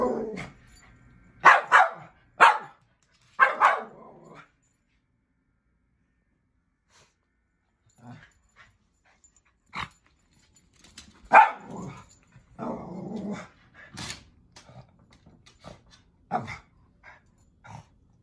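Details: Miniature poodle barking at animals shown on TV: bursts of sharp barks in the first four seconds, a quiet stretch, then more scattered barks and yips through the final seconds.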